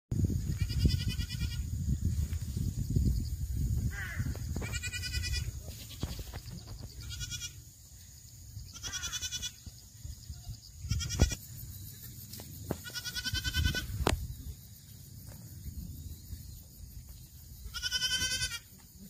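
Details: Black goats on a farm in Gimhae, South Gyeongsang, South Korea, recorded 8 September 2024, giving about seven tremulous, wavering bleats spread over nineteen seconds, with a steady low rumble and some knocks behind them.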